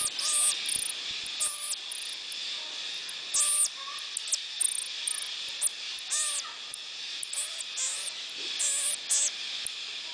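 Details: Pygmy marmosets in the Amazon forest of Colombia give very high, thin chirps and squeaky whistles in short, repeated bursts.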